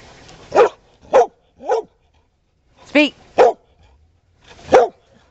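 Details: Mixed-breed dog, believed Chesapeake Bay Retriever and Border Collie cross, adopted from a county shelter, barking on command after being told "speak": six short sharp barks in two groups of three, praised afterward.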